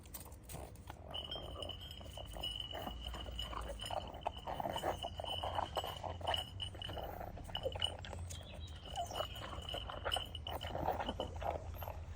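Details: A pug eats kibble noisily outdoors at lunchtime on a freezing, frosty day in London, with wet chomping, snuffling and clinking against its bowl; Pug.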